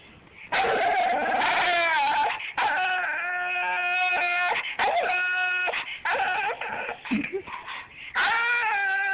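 A bull terrier sings in long, wavering howls, sliding up and down between drawn-out tones.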